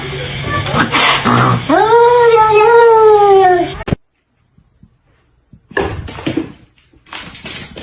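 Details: Cat giving one long, drawn-out meow lasting about two seconds, steady and slightly arched in pitch, following a person's talking; after a short silence, human voices and household noise return indoors.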